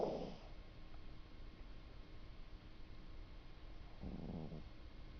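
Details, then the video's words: Pet cat snoring while asleep indoors: a rough, rattling snore breath opens the recording and a second raspy, fluttering breath follows about four seconds later, with a quiet room hiss in between. "my cat snores"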